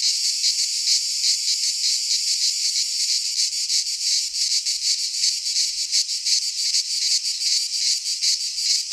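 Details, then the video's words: Midsummer chorus of cicadas in a pine forest in Greece. Their shrill, grating drone holds steady and throbs roughly three times per second, growing slightly busier toward the end. "Cicadas singing in midsummer - Nature sounds from the Greek fauna - Sounds of cicadas"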